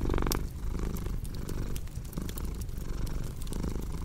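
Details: Cat purring with a low, throbbing rumble that swells and fades with each breath, while a cozy fireplace crackles and snaps throughout.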